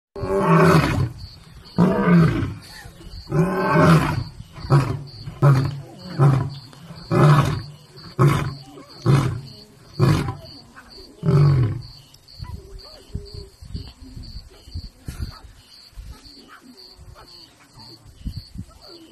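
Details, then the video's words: A father lion roaring near his cubs: a long series of deep, booming grunting roars, about one every second, loud at first and then stopping after about twelve seconds, leaving softer low rumbles and quiet background sounds. "After Lion Daddy roared"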